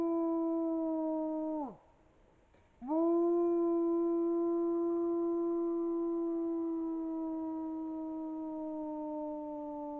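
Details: A wolf howling at midnight: a smooth, steady, tonal howl held for nearly two seconds drops sharply and breaks off. After a short silence, a second long, level howl is sustained for about seven seconds, slowly softening. No other sounds are heard.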